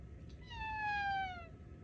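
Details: A talkative tuxedo cat gives one drawn-out, clear meow that slides gently downward in pitch.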